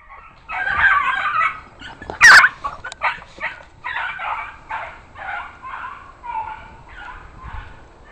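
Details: Two dogs let out the back door on a mad screaming dash after squirrels, giving loud, high, strained yelps and screams in rapid bursts about every half second, one sharp scream standing out early.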